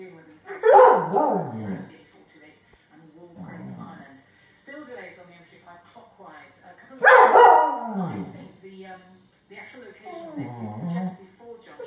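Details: A Staffordshire bull terrier that spotted a grey squirrel in the garden gives two loud, harsh barks about six seconds apart, with quieter voices between.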